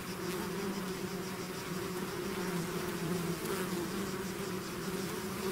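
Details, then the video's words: Constant droning of a bee swarm streaming out of its hive, the dense humming of many wings holding steady low tones that waver slightly, with no other sounds. "bees therapy swarm natural buzzing sound"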